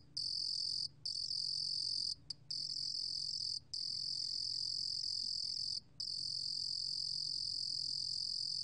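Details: Insect song of the Korean cricket 루루곰귀뚜라미, recorded in 2020 by the National Institute of Biological Resources. A bright, high, sustained trill is interrupted by several short silent gaps at irregular intervals over low background hum.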